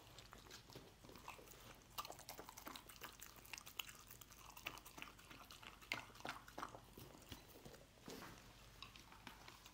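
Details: Dog eating a scramble of egg: crisp lapping clicks and chewing smacks coming in uneven clusters, bright and snappy, over a faint low background drone.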